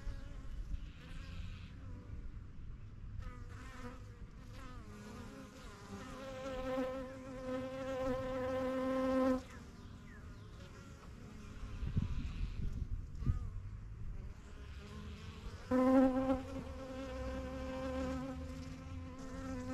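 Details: Honey bees flying in and out of a new yellow backyard hive: single bees pass close, giving loud, tonal buzzes that swell and cut off over several seconds, above a softer background hum.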